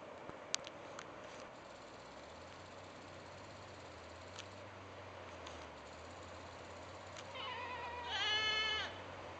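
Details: Goat mother calling her kid home, each goat having a unique voice; after several seconds of hiss and a few clicks, one wavering bleat near the end, over a constant low hum.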